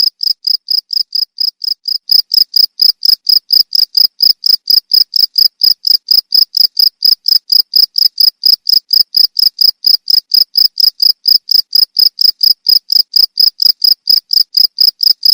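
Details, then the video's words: Cricket song for tutoring songbirds: a regular train of sharp, high-pitched chirps roughly four per second, softer during the first two seconds and then louder and steady to the end. "Suara jangkrik untuk masteran burung"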